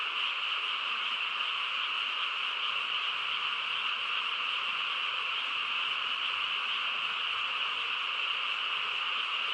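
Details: Frog chorus on a quiet countryside night: a dense, unbroken wall of overlapping calls with steady bright bands in the upper range, no single voice standing out, holding level throughout.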